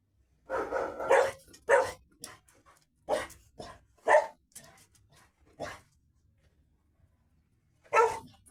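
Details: Pet dog, one of a Labrador Retriever and a Golden Retriever pair, barking indoors in a small room: a quick cluster of sharp, harsh barks with a short pause, quieter single woofs, a silence of two seconds, then one final loud bark.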